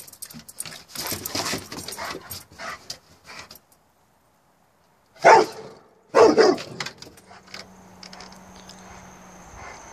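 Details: A Rottweiler in a yard barking after spotting a newly placed garden flag; two loud, harsh barks about a second apart midway, preceded by rustling and jangling sounds, with a faint steady hum afterward.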